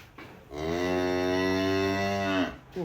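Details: Giant cattle in Indonesia, excited on leaving the pen, give one long, steady, deep moo rich in harmonics that lasts about two seconds, ending with a short rising grunt.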